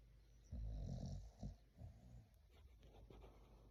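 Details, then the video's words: English Bulldog puppy asleep and snoring: a loud low rasping snore burst, then softer rattling, snuffling breaths that fade over the next seconds. "Rate my snoring."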